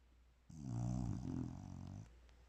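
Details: One long, rumbling snore from a sleeping bulldog, about one and a half seconds of low throaty rattle that wavers in strength, then fades to quiet room hum.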